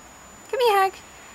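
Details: A domestic cat gives a single clear meow, about half a second long, rising slightly then falling, indoors during a snowstorm, with a woman's voice heard around it.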